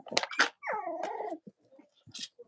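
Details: Cavalier King Charles Spaniel puppies from Robin and Myra's litters on a live stream in the US, chilly Monday morning near Halloween: sharp broadband yelps, then a drawn-out whimpering whine sliding downward in pitch, with soft yips after.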